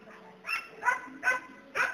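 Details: Four evenly spaced, punchy barks from a Border Collie herding dog, roughly every 0.4 seconds, with a soft low drone underneath.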